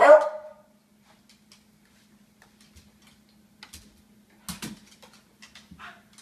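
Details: Sam, a pet Beagle, begging for food indoors: one sharp, loud bark opens the moment, then near silence with a steady low hum and a few faint clicks and taps.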